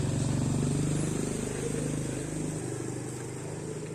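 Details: Motor engine noise drones outdoors, rising and then fading, alongside a high steady hiss and no distinct animal sound.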